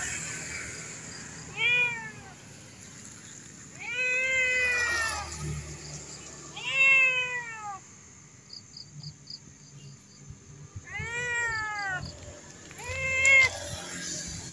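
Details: A tame cat that looks fierce gives a series of clear, drawn-out meows with rich harmonics, arching up and down, several seconds apart, over quiet low background noise.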